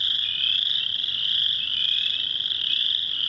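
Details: In a wetland, a dense chorus of inch-long chorus frogs, males trilling continuously in a high, buzzy wall of sound as mating calls, with two other frog species also calling.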